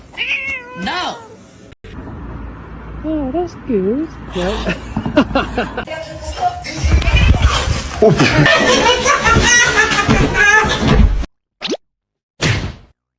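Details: Kitten giving a series of short, wavering, high meows, some rising and falling in pitch, with a person talking over the later part and brief silences near the end.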